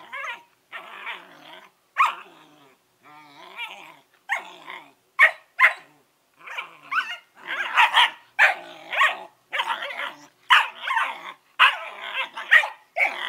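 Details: Norris and Amica, Collie puppies aged 11 weeks, chatter continuously: rough growly grumbles mixed with sharp yappy barks, bursts coming roughly every half second to second, busier toward the end.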